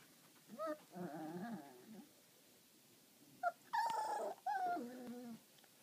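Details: Tibetan Terrier puppy playing on her play mat gives harmonic whines and squeaky yelps in short bursts, some rising then falling, with low growly undertones, in a quiet indoor room.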